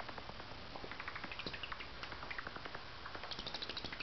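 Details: Unseen angry bat hidden in the rafters of a carport at night, giving rapid, dry clicking chatters repeated about three times a second, short sharp bursts with high squeaky notes, steady and close.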